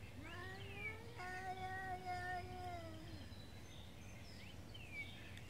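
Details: Street cat in Beaver Falls during a daily morning territorial standoff over food: a faint, steady, drawn-out moaning yowl held for about two seconds, rising and falling, with a few quieter high mewing slides and background noise.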